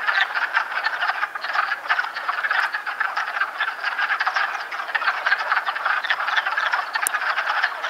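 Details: In Chappaqua, New York, on 12 March, wood frogs in amplexus fill the air with a dense chorus of short, duck-like clucking croaks.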